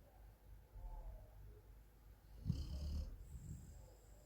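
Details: Golden Retriever Meongji sleeps at home in Thailand and gives a single short, low, throaty snore midway through; soft breathing rumbles before and after.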